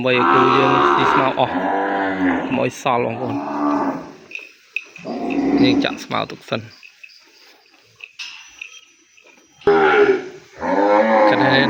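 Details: Cambodian farm calf crying for the mother it was separated from: repeated wavering moos in loud bursts, a quieter stretch with faint background noise, then another strong bawl.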